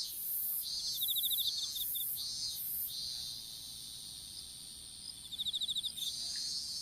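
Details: Outdoor strawberry field insects heard through a fallen smartphone during planting of seedlings: two rapid, high-pitched pulsed trills of about ten beats each, separated by loud rhythmic shrill bursts and a quieter hissing stretch.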